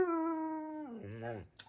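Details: Husky-malamute cross Wulf talks back indoors at night: a steady, tonal howl-like note held for almost a second, then sliding down into a lower, wavering moan before stopping.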